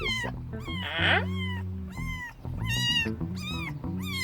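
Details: Unfamiliar stray cat, possibly a male with a white-tipped tail, visiting at night: a series of loud, drawn-out meows, each arching up then falling, about one every second, over a steady musical background.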